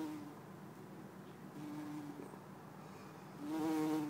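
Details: Low humming drone of a bumblebee, Bombus hortorum or Bombus terrestris, in Lisbon, Portugal, 4 December 2011; the buzz comes in steady stretches, then grows louder and richer near the end as the insect approaches.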